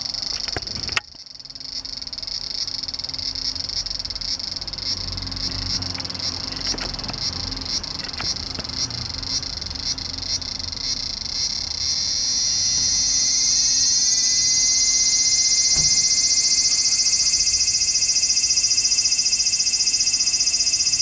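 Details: Large brown cicada recorded 3 September 2015, late in the season with numbers dwindling. Its harsh, high buzzing starts softer, then swells into a loud, continuous sizzle after about twelve seconds, over a faint low hum.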